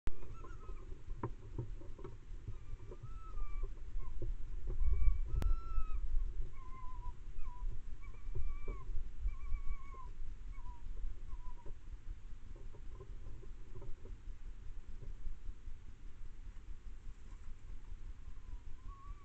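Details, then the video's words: Fox cubs in a neighbouring garden calling to an adult fox: a long series of short, whining, tonal calls with wavering rises and falls, given in quick irregular bursts over a steady low rumble of background noise. "Fox being called by cubs in the next garden"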